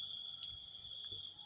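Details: Steady shrill trilling of crickets in the morning, an unchanging high-pitched drone with faint low knocks beneath.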